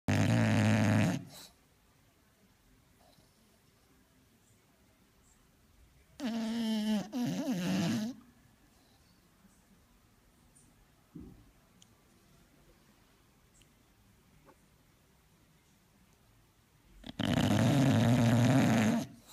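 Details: A female English bulldog snores in loud, rasping bursts separated by long quiet pauses.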